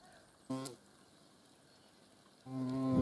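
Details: A hornet's deep humming buzz, a brief burst followed by a steadier, growing drone as the insect comes nearer.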